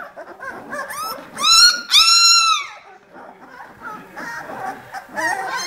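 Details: Eighteen-day-old vizsla puppies of kennel litter B: a few soft squeaks, then two loud rising-and-falling harmonic squeals near the middle, followed by quieter scattered whimpers from the litter.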